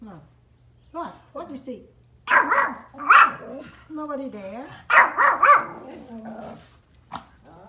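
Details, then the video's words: Pomeranian dogs barking outdoors at deer, sharp high barks in short bursts, mostly in two clusters, with a person talking soothingly between and over them. "cute Pom dogs barking deer outdoor"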